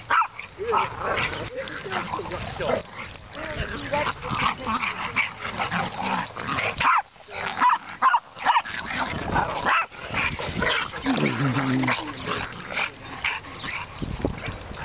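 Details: Dogs playing together at a dog park, including Chihuahuas Godzilla and Honey Badger, Bobo the pit bull and Bubba the white American bulldog; irregular bursts of barking and yapping mix with people talking throughout.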